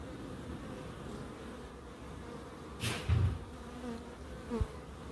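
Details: Bees in a small home wildlife garden in Crookes, giving a continuous low buzzing drone. A short broadband rush sounds near the three-second mark, with a faint tap near the end.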